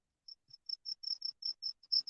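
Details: Crickets at Lake Springfield, Illinois, in the evening during fishing: a quick series of short, high, pure chirps, about five per second, steady and evenly spaced, with a faint low thump.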